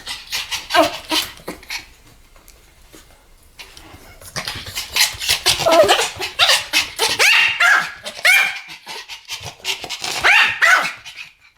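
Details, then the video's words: Pomeranian duet barking: after a quiet, rustling start, two dogs break into fast, squeaky yaps and yips that overlap in an excited, uneven stream. "ポメラニアン Pomeranian デュエット吠え 1000回 犬の鳴き声"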